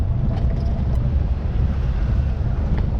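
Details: A steady low engine rumble from a vehicle fills the recording, with no animal calls heard.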